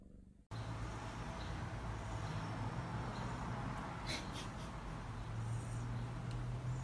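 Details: A happy cat purring: a steady, low, rumbling drone that runs unbroken after a brief silent start, with a faint hum underneath and a few soft clicks higher up.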